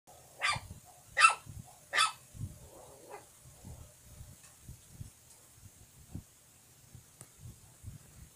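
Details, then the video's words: Puppy barking: three sharp, bright yaps in quick succession near the start, then a softer bark and quieter yips, with low thumping and rustling noises throughout. "Barking puppy"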